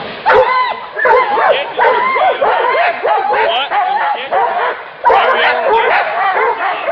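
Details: Hunting dogs going after a wild boar, giving shrill, rising-and-falling yelps and whining barks in irregular bursts, with a sudden loud outburst near the end.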